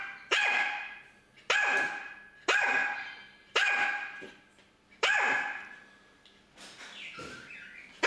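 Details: Dog barking at a runaway pet budgerigar hidden in a corner behind furniture, five sharp loud barks roughly once a second, each harsh and ringing in a room, followed by a softer, fading final bark.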